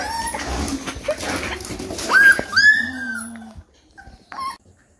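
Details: A 3-week-old Rottweiler puppy gives high, thin whimpers and short squeaky yips in a small room.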